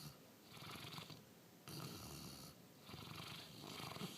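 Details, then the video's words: Sleeping Bernese Mountain Dog crossed with Labrador, named Diesel, snoring in steady cycles: a long gravelly inhale lasting over a second, a short pause, then another raspy breath, low buzzing throughout. "Diesel the snoring dog"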